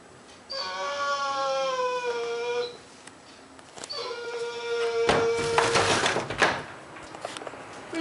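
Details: Pet dog Whisky, in a small room, pleading each morning for its owner not to go to work: two long, level, drawn-out whines, followed by a door-like clatter and rustling noise.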